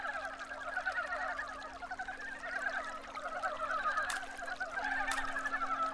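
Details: Male Korean brown frogs, just woken in early spring from hibernating under stream stones, pursuing females to mate; a dense chorus of many callers gives rapid, overlapping clucking notes in two bands, with a faint steady hum and brief clicks.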